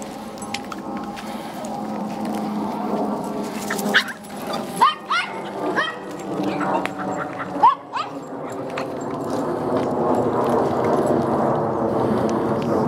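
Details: Golden Retriever Bella, a dog up for adoption, gives a short burst of harmonic barks and yelps midway through, over steady background noise and faint voices.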